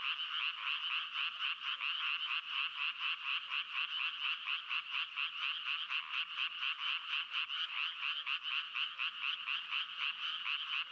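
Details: Rhythmic frog croaking, roughly two pulses a second, keeps a fairly steady beat. The harsh, buzzy rattles flow into one another through the whole passage.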